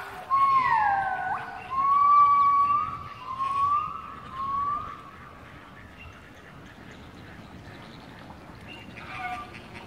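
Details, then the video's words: Gibbons at Artis zoo in Amsterdam sing a run of loud, pure swooping whoops, each note sliding upward in quick succession. "SINGING GIBBONS"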